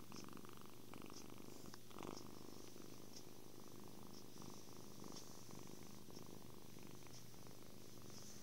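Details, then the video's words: Contented purring from a happy kitten enjoying cuddles, food and sleep; the deep, unbroken vibrating rumble holds steady throughout, with a few small brushing and tapping noises nearby. "Happy kitten. Purrs"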